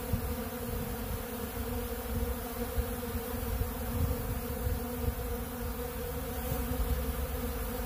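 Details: Dense, rough, low buzzing from numerous honeybees gathered at a big blue pollen feeder eating bee pollen. The drone holds steady with slight flutters in loudness across the whole stretch.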